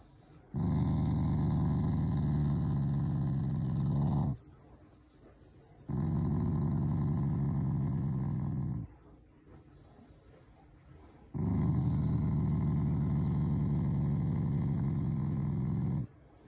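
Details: Shiba Inu, a loving family dog, growling out of fondness for its owners rather than anger; three long, low, buzzing growls of three to five seconds each, with short quiet breaths between them.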